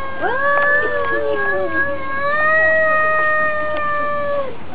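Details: During a territorial fight between two cats, one holds a single steady, nasal howl for about four seconds before it trails off.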